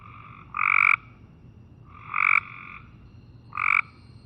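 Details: Cope's gray treefrog giving short, harsh buzzy trills, repeated about every one and a half seconds; a fast buzz in which individual pulses can't be made out, unlike the gray treefrog's pulsed call.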